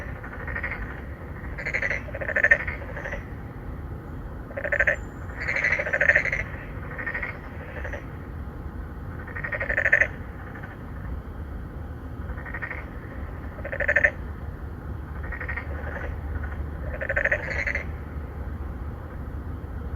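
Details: Endangered narrow-mouthed frogs, three or four males, seek mates in an apartment pond at Songdo, Incheon, South Korea, recorded in 2019 on a Galaxy Note 9. Short, rasping, pulsed calls recur roughly every two to four seconds over faint background rumble.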